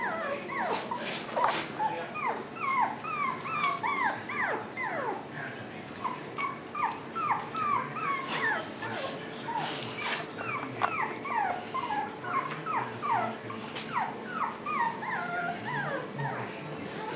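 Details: Five-week-old Japanese Chin and Pomeranian puppies on their first outing without their mother, several voices overlapping in a steady stream of high whimpers and short yips, many bent or falling in pitch, with faint clicks and a quiet voice now and then.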